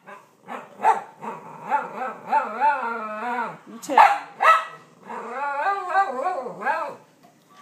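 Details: Cavalier King Charles Spaniel indoors, barking and growling at a potty park box with a dog picture, treated as an invader in his home; rapid strained yips and growly barks repeated in bursts, with a woman talking.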